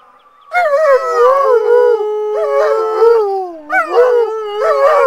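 Alaskan Malamutes howl together in long, wavering tones, answering a passing siren.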